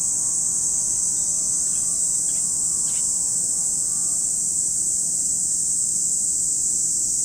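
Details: Lake Kamo, Sado City, Niigata Prefecture, Japan: cicadas make a dense, level, piercing hum throughout, with three short faint sounds early on and a soft low tonal hum in the background.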